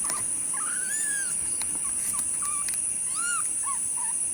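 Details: Several kittens meowing, dated April 15, 2025: short arched mews, some rising then falling, others brief and bent, come in quick succession from more than one kitten. A steady high electronic whine runs underneath throughout.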